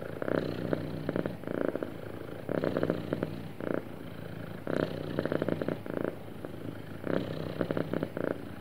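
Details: Happy domestic cat purring smoothly, a steady low rumble swelling into louder pulsed bursts roughly every one to one and a half seconds, with quieter breathing-like stretches between.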